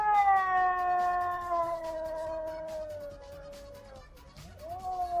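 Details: Domestic cats in a vocal fight: a long, steady, drawn-out yowl with rich harmonics, slowly falling in pitch over about four seconds, dipping briefly, then rising again at the end.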